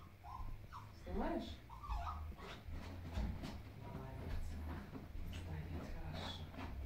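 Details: Bulya, a 13-month-old male Bichon Frise, whimpers during a training session on 23.02.2017. Short high, whining yelps come early, then quieter whines follow, overlapped by Russian speech praising and calling the dog by name indoors.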